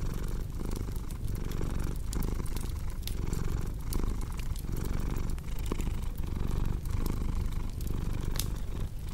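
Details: Relaxing fireside scene with a cat purring: a continuous low buzzing rumble, breath swells repeating about every second, while a crackling fireplace adds many quick ticks and louder pops throughout.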